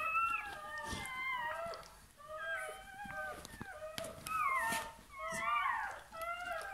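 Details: Newborn Bernese Mountain Dog puppy crying right after birth inside a room: short wavering squeals in quick bursts, roughly one a second, with handling noises and rustling in between.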